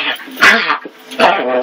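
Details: Basset Hound puppies at play give two bursts of high, harmonic yips and whines, with voices faintly in the background.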